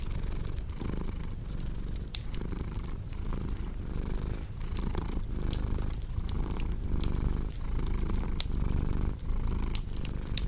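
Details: Steady rumbling purr from a cat, thick and low with rhythmic breathing swells, set against constant fireplace crackle and occasional louder pops.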